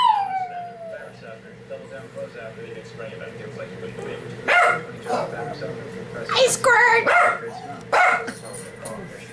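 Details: A loud-howling 12 lb Shih Tzu opens with a high, drawn-out howl sliding downward in pitch, followed by brief, louder yelping bursts and people talking.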